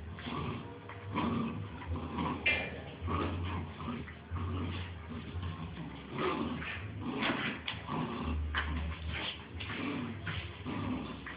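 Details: Two Bull Terrier puppies playing together, giving low rumbling growls and short whimpering yips in irregular bursts, with scuffling throughout.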